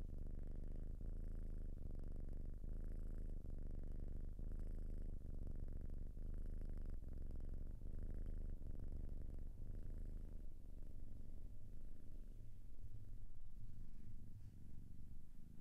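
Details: Softer cat purring, a low rhythmic rumble rising and falling with each breath about every one to one and a half seconds, fading slightly toward the end.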